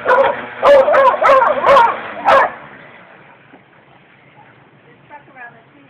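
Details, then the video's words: Dog Nikki barking at a weed wacker: four or five quick, loud barks packed into the first two and a half seconds, then quiet background with faint distant sounds. "Nikki Barking at the Weed Wacker"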